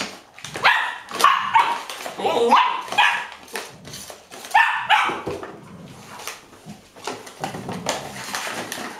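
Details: Among a five-year-old Golden Retriever and her six 7-week-old grandpuppies in Haute-Savoie, France, October 2013, short, rough barks and higher yips come in quick, uneven bursts.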